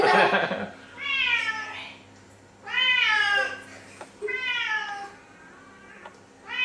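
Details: A female Siamese cat repeats long, loud, nasal meows every second or two, each rising then falling away, demanding food (chicken) over a faint steady indoor hum.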